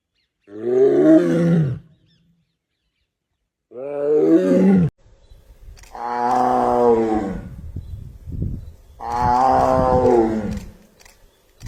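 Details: Tiger, captured without a microphone, gives four powerful roars in succession. The first two are short and rough, and the later two are longer and fuller, with low rumbling between them.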